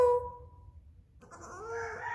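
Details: Charlotte, a female baby goat indoors in a building, calling for her owner after losing sight of her: a short steady tone, a pause, then a wavering, rising, nasal bleat with rich harmonics.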